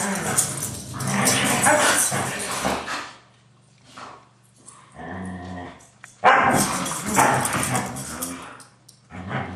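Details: Two Siberian Huskies named Taiga and Blade, best friends, play-fighting hard as they do every day. Harsh rasping growls and grumbles in bursts, then a quieter gap with a brief harmonic whine, followed by another loud growling flurry.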